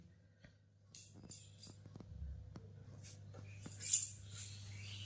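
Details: Quiet room with soft tapping and a toy jingling and clinking, no animal voice.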